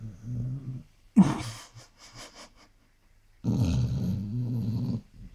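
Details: Basset Hound asleep and snoring, a low rasping breath at the start, a brief sharp noise and soft rustles in between, then a long, steady rumbling snore in a quiet room.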